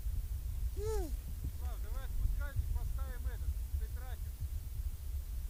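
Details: Baby seal pup waddling up to the camera gives a quick run of short, arched, nasal yelps, about six in five seconds, some rising then falling, over a steady low rumble of wind or surf.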